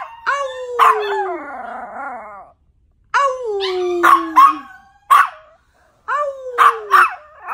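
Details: Yorkshire Terrier, called a wolf yorkie, producing falling howls that dip downward, punctuated by loud sharp barks in short bursts.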